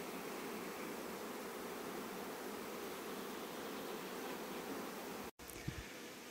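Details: Honey bees rush home just before rain near acacia trees, making a dense, steady hum of many bees flying together with a brief dropout near the end. Rain arrived about three minutes later.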